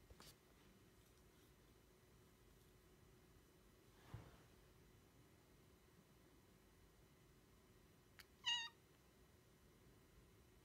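Near the end, a Devon Rex cat gives a single brief meow, high and slightly falling, to seek attention. The rest is nearly silent, with only a soft thump or rustle in the middle.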